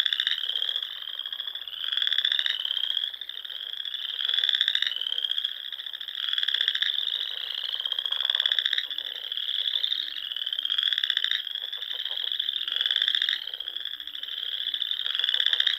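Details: Many frogs calling together at dusk in spring on the ponds of Nebraska's Sandhills: a shrill, pulsing chorus in which louder rattling trills surge roughly every two seconds over a constant background drone.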